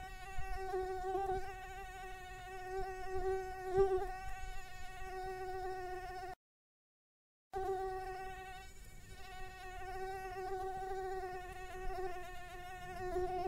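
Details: Asian tiger mosquito, an invasive species, recorded in Kristina Enea park in Egia, Donostia, during September 2023: a continuous thin whine rich in overtones, pitch wobbling gently, broken by a short silent gap midway.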